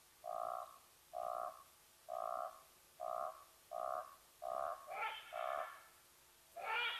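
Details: Side-striped jackal at Nkorho Bush Lodge in the fenceless Sabi Sands Reserve beside Kruger National Park, South Africa, recorded by a live camera, giving away the leopardess Watika's presence: a steady series of short, paired-tone yaps about once a second, the last ones harsher.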